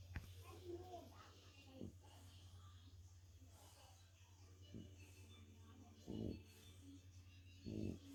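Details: A tired French Bulldog, napping after a walk, snores in rough, rasping bursts over a steady low hum.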